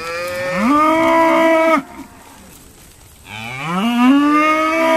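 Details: Sorting day at Stone Meadow Farm brings two rising, harmonic moos from Irish Dexter cattle, each swelling and held, separated by a silent gap of over a second.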